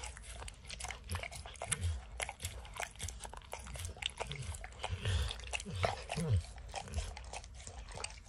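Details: Max the dog laps peanut butter and chews kibble from an orange mat. Moist licking clicks and smacks run unevenly, with occasional crunching of kibble and dull low knocks against the mat.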